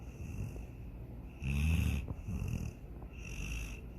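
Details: Sydney, a pet dog, snoring while dreaming of chasing a rabbit and swimming in the lake; low rumbling snores with one loud breath near the middle and softer breathing around it.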